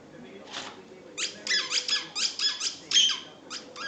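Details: Jealous Patterdale terrier whining for a ball indoors: a rapid run of high squeaky whimpers, short and closely spaced, after a person remarks that she wants it.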